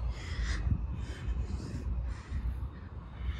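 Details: Squirrels fighting, one grumbling: harsh, raspy bursts repeat roughly every half second, each a short noisy growl, over steady low rumble.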